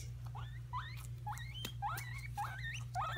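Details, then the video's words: Two pet guinea pigs still getting used to each other, fighting over peppers, their favourite food: a run of rising squeaky squeals, about eight in three seconds, each sweeping upward with a steady low hum beneath and faint voices nearby. "Guinea Pigs fighting over peppers"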